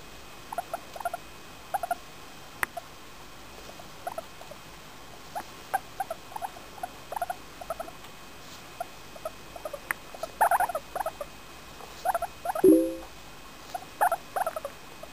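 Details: English Crested guinea pig Femi, a four-year-old female, makes happy sounds as she is petted: scattered short chirping squeaks that thicken into denser bursts later, plus one brief lower drawn-out note and a sharp click.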